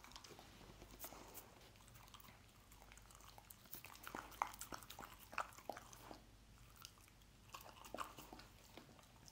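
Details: Chewing and smacking from a dog eating scrambled egg, wet clicks bunched in irregular bursts with short pauses, a few louder snaps midway, faint hum underneath.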